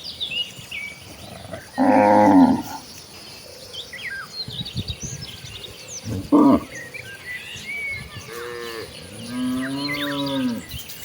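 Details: ['Tame village cattle walking together to the rice field in search of grass. Brief loud bellows come at irregular intervals, ending with a softer, drawn-out falling moo.']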